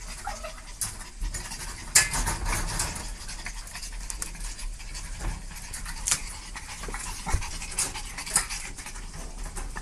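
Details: Dog panting in quick, breathy broadband puffs, irregular in spacing, with a few sharper louder breaths and a faint low background rumble.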